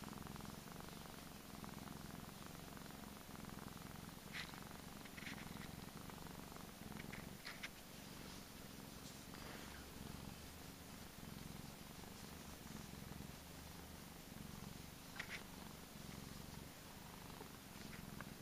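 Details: Low continuous purring of Gizmo, a pampered Persian pet cat, a rough rapid throb sustained throughout, with a few brief soft clicks and rustles breaking through near the middle and end.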